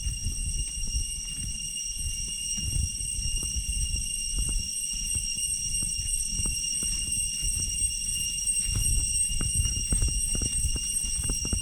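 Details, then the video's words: Deep-jungle cicadas along the path from Chhay Yong Waterfall in the Areng Area, Koh Kong Province, Cambodia, keep up a continuous shrill ringing at constant pitch, while crunching footsteps thump throughout. "Walking out of Chhay Yong with Cicada sound along the way in deep jungle"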